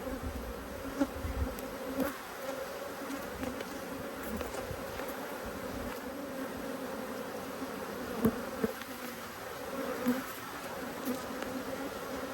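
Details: Honey bees from two hives, cross at being opened for inspection, fill the air with a dense, steady buzzing hum. A low drone holds throughout, with occasional knocks and bumps from the hive work.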